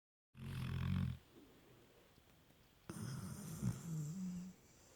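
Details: Labrador Retriever puppy named Lukas asleep, snoring: two low rumbling snores, one at the start and a longer one later with a breathy hiss above, separated by a quiet pause.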